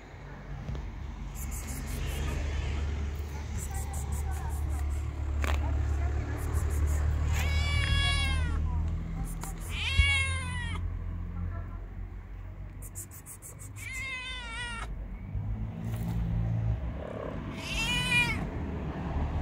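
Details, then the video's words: Homeless male kitten living on the street, excited after smelling food in a backpack, gives loud, high, harmonic meows, some rising then falling, in bursts spaced a few seconds apart, over steady low rumble and a human voice. "Kitten went crazy when he smelled food in my backpack"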